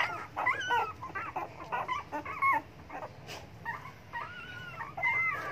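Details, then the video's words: Hungry dogs begging for food, giving scattered high whimpers and yips with short whining tones that rise and fall, separated by quiet gaps. "hungry dogs begging for food"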